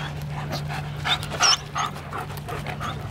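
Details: German Shepherds in a pack out for a long walk of one to two hours before Christmas photos; quick rhythmic panting and breathing, with a few short sharp yelps near the middle and steady low hum behind.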